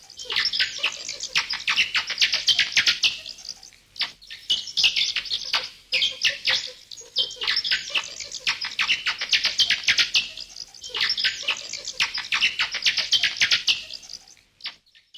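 Bats chattering in dense bursts of high, scratchy squeaks that come in waves every few seconds.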